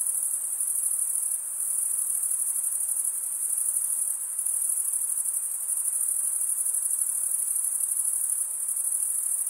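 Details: Summer forest at night filled with cricket chirping: a bright, rapidly pulsing high trill from numerous insects, sustained throughout with small swells and dips in volume.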